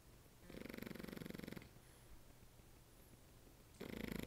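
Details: Sleeping French Bulldog snoring: a rapid, pulsing, rattling snore held for about a second, a quiet pause, then the next rattling snore beginning.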